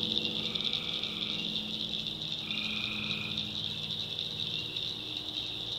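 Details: Night swamp in the backwoods of North Carolina, where tree frogs hold a steady high-pitched chorus; two longer, lower drawn-out buzzy calls stand out against it, over a soft low drone.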